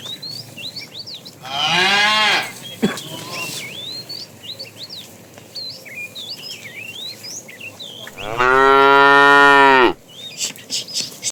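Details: Herded tame cows in the afternoon, a fat cow calling the female: two long, rich, harmonic moos, the first under a second, the second louder and sustained nearly two seconds, separated by a pause filled with busy twittering birds.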